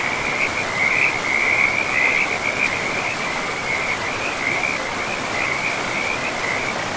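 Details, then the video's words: Frog calling by a river in a pristine forest: a continuous high, rapidly pulsed trill that holds steady for the full stretch, heard over the broad rushing hiss of flowing water. "River and Frogs sleep sounds"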